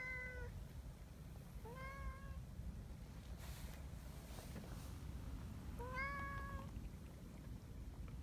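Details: Friendly community cats on a cold morning, running along a mountain path to their gathering spot in Japan; three short harmonic meows, at the start, near two seconds and near six seconds, over steady low rumbling background noise.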